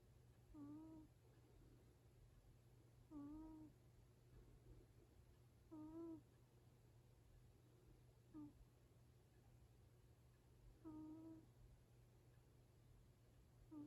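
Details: A sleeping Exotic Shorthair named Yaju, aged seven years and four months, snores indoors with a 'puu-puu' sound. Six brief whistled snores come at fairly regular intervals over quiet background hum.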